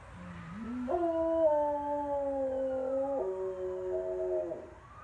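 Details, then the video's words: Clyde, a dog, howls in a long drawn-out note that begins low, jumps upward in steps, holds, then drops to a lower sustained tone before trailing off after about four seconds. "Clyde Howling"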